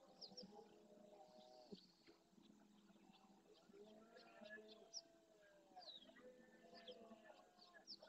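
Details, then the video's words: At dawn in the Doñana marshes of Andalusia, Spain, a breeding red deer stag with hinds and young near the Francisco Bernis centre bellows forcefully. Deep, curving harmonic groans come in bouts, with many birds calling and twittering throughout. "Berrea al amanecer"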